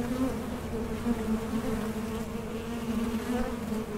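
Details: Honey bees working a Mason jar honey super kept by a small-scale beekeeper, a continuous droning hum from many insects, even in loudness with small wavering pitch shifts.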